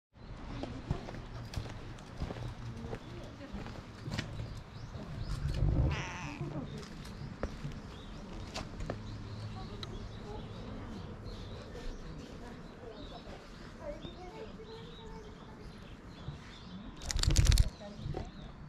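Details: Hoarse-voiced cat at a cat temple, letting itself be petted, filmed on a GoPro; a raspy, drawn-out meow rises midway, a louder rough burst comes near the end, over steady low rumbling, handling noise and faint voices.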